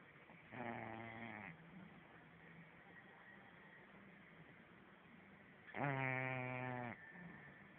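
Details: A sleeping French Bulldog snores in two long, rattling, buzzy breaths several seconds apart.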